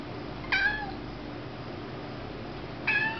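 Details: Young domestic kitten indoors meowing at small bugs flown in onto the ceiling: two short, clear, slightly falling meows about two seconds apart, over a steady low room hum.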